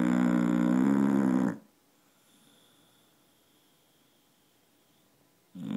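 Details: Dog snoring in a loud rasping rumble likened to a chainsaw: one harsh buzzing snore lasting about a second and a half, then a long near-silent pause before the next breath begins.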